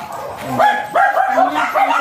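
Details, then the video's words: White Pomeranian of Thai import line, at stud service in Aringay, La Union, yaps in short clipped high barks, four or five in quick succession, with little else heard. "THAI IMPORTLINE WHITE POMERANIAN DOG STUD SERVICE AT ARINGAY LA UNION"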